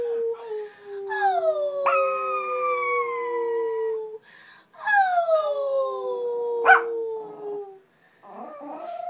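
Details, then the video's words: Pomeranian dog learning to howl, succeeding on the first attempt: two long descending howls with brief gaps, a short sharp yelp midway through, and softer wavering whines at the end. "Howling Pomeranian"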